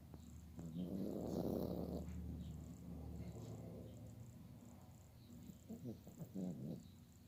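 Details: Rickey, a Chihuahua of unknown age rescued after an Oklahoma tornado, sleeping soundly and snoring indoors. Soft, low, breathy rumbling snores in slow swells, with faint background music.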